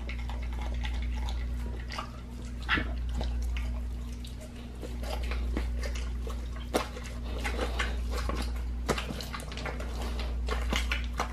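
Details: Raw-fed pit bull working on a raw leg of lamb, slower now: scattered loud cracks and wet smacks every second or two between quieter gnawing, over a steady low hum.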